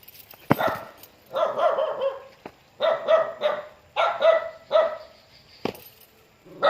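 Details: Dog greeting its returning owner with clustered, hoarse, excited barks and yelps, loose bursts of two or three spaced by short pauses, plus a couple of sharp knocks or claps.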